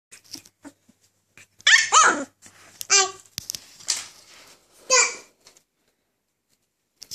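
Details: Alaskan Malamute puppies just waking up give short, high, squeaky yips and whines, with scattered quieter noises between.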